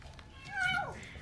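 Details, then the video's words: Hungry kitten Portakal, a stray found by young people beneath apartment buildings, crying while eating indoors: a single descending, harmonic meow sliding downward, with a person talking quietly in the background. "Yavru Kedi Hem Ağlıyor Hem Mama Yiyor"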